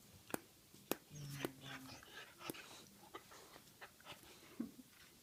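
A dog's teeth clack together in sharp, irregular clicks, with a brief low whine in between.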